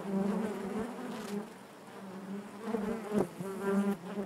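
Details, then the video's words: Continuous buzzing of honey bees in their hive, a low droning hum with bright overtones that fades briefly in the middle, then swells again with a few close buzzing passes. "bees therapy hive natural buzzing sound"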